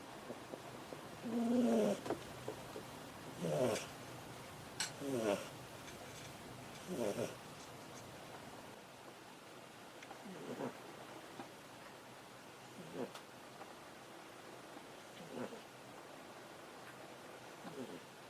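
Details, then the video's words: A domestic cat asleep on a person's desk, snoring; soft breathy rasps repeat roughly every two seconds, louder and voiced at first, then fading into faint regular snores over a quiet room hiss. "Cat snoring on my desk"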